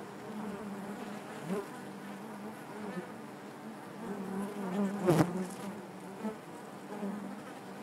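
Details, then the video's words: Massed honey bees hum within the hive, a thick steady drone with rippling overtones; one bee buzzes loudly close by just past the five-second mark, with faint taps around it. "bees therapy hive natural buzzing sound"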